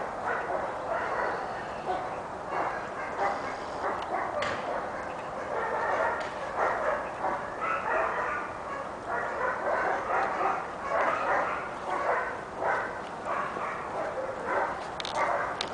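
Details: Pepper and salt Giant Schnauzer puppy Kali, six months old, barking in a rapid, fairly regular series of short, rough yaps through most of the recording, with a constant hiss behind.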